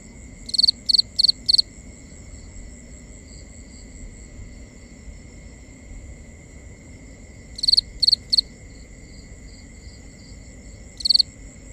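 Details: Nighttime crickets in binaural ambience. Loud, high pulsed chirps come in scattered bursts: a run of four, a long gap filled with softer distant chirping, then three more and a lone chirp, all over a constant thin drone.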